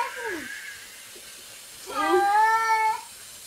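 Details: Domestic cat making weird noises: a short falling cry, a pause, then a drawn-out, steady, strongly harmonic meowing wail lasting about a second, with faint background sounds.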